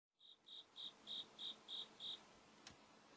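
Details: A cricket calling indoors inside a room while a white cat watches; seven clear, even chirps, each a short high trill, repeated about three times a second, then a soft click.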